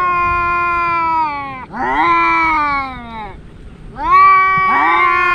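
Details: Two brother house cats in their daily fight trade overlapping yowls, steady held wails broken by swooping rising and falling notes, with a brief quieter gap between bouts.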